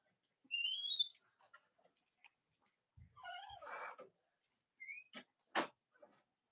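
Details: Cavalier King Charles Spaniel puppies from the litters of Robin and Myra, watched indoors on a chilly late-October Monday morning in the US; thin high squeaky whines sweep upward, with soft shuffling and a few clicks between them.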